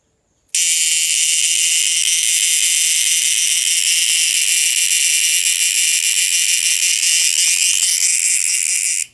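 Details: An insect making noise at night gives one unbroken, very loud, harsh high buzz that holds steady for over eight seconds before cutting off.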